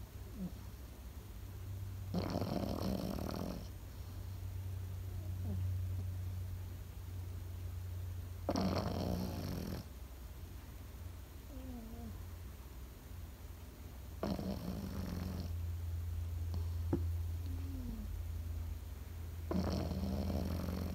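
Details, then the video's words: A sleeping Pekingese dog snores: four long, rasping breaths come at intervals of about six seconds, each a broad, hoarse burst over a steady low hum, with quiet gaps between them. "心地よい犬の寝息BGM ペキニーズ。 Comfortable Dog's sleeping sound pekingese."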